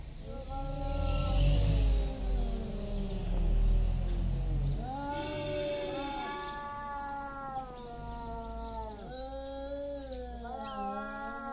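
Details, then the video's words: Two big male cats yowling loudly just before a fight over territory; long drawn-out wailing howls with rich harmonics, rising and falling, one voice overlapping another, with low rumbling background noise in the first half. "LOUD MEOWING JUST BEFORE THE FIGHT."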